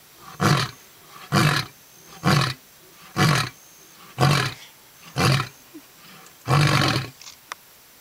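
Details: A lion in Londolozi, Kruger National Park, South Africa, gives a big roar and then a series of deep, hoarse, burp-like grunting roars, each about a second apart.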